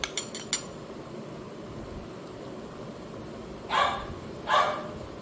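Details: Simba, a Labrador Retriever, unwell and refusing food all day though accepting vanilla ice cream, perhaps with an upset stomach, gives two short barks about a second apart near the end, after a few sharp clicks at the start.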